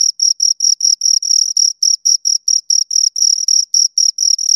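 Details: Two crickets chirping close up, a steady high-pitched trill broken into short pulsed bursts, about four per second, with a fainter overtone above; no other sounds.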